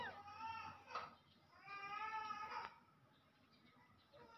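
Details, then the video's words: Pet monkeys, with big monkeys greedily snatching from and hitting small monkeys: two drawn-out, tonal squealing cries, each about a second long and rich in harmonics, followed by quieter, shorter squeaks. "Big monkeys very greedily snatch, hit small monkeys"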